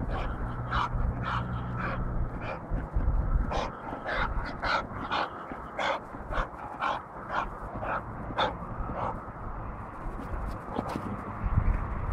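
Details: Big adult male Johnson-type American Bulldog voicing a run of short, sharp barks, roughly two each second for most of the stretch, against a steady low hum and some background noise.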